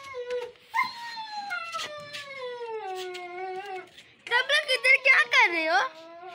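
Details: Siberian Husky puppy from Lahore, Pakistan, letting out a sustained howl lasting about three seconds that gradually drops in pitch, followed by a burst of choppy, pulsing vocal sounds mixed with human voices.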